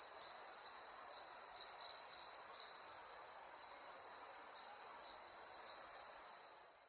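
Crickets at night give a steady, high, shimmering trill with a faint pulsing rhythm.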